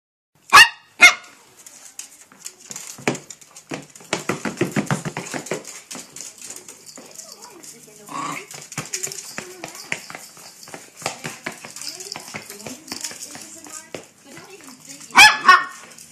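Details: Maltese dog playing indoors while being chased, giving two sharp high barks at the start and two more near the end, with a woman talking and household clatter in between.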